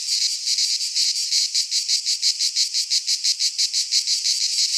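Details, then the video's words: Cicadas singing in midsummer in a Greek pine forest: a loud, high, dry buzzing chorus pulsing in regular throbs about three times a second, with no other sounds. "Cicadas singing in midsummer - Nature sounds from the Greek fauna - Sounds of cicadas"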